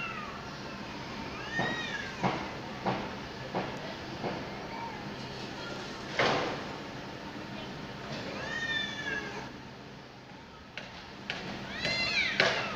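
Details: Two cats outdoors at sunset squaring off over territory before fighting: several drawn, wavering meows rise and fall over a steady noisy hiss-like background, with scattered knocks and thumps.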